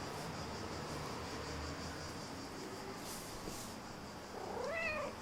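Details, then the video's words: Domestic cat giving a single short meow that rises, then falls, near the end, after several seconds of steady room hiss. "Mrrp Meow Flop!"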